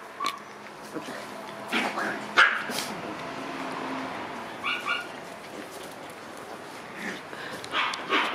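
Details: Black-coated female Shiba Inu puppy, born March 21, gives a few short high yips and soft whimpers spaced several seconds apart, with quiet background noise between them.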